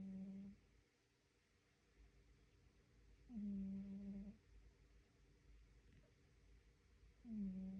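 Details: Sleeping cat snoring indoors: a low, hum-like tone held for about half a second to a second, repeating every three to four seconds with quiet pauses between.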